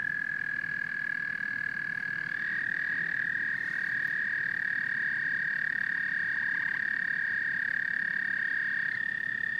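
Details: Frogs and toads in a dense chorus: a steady, unbroken high trilling drone holds one pitch throughout, with a brief pulsed rattle near the end and a faint low rumble beneath.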